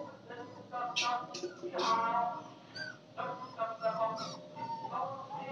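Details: Puppies in a village, making high whimpering and yipping calls in short bursts, several overlapping, with a steady hum in the background.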